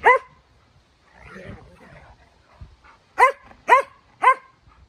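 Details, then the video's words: Norwegian Elkhounds play-wrestling on a Sunday. One bark opens, then low scuffling and grumbling noises follow, then three quick, loud barks about half a second apart close the sequence. "Elkhound barks"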